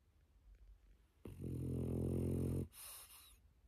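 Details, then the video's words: Sleepy pet dog resting after a walk: a single drawn-out, deep vibrating snore with a steady fluttering rattle, followed by a short airy exhale; the room is otherwise still. "산책 다녀왔더니 잠 잘오네"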